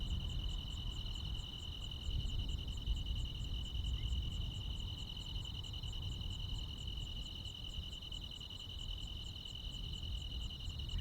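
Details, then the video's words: Crickets with other night insects in the countryside during high summer: a steady shrill ringing and fast repeating high-pitched pulses, partly masked by a strong low-frequency rumble. "시골 야간 귀뚜라미, 벌레 소리"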